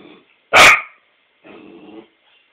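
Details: One sharp, loud bark from Emma, a four-month-old Australian Shepherd puppy reacting to her mirror reflection, followed by a short stretch of low human speech.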